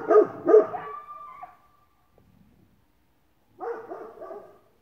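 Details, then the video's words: Great Pyrenees barking with a coyote: two loud, close deep barks trailing into a drawn-out tone, a silent pause, then another burst of several barks. "Great Pyrenees & Coyote barking!"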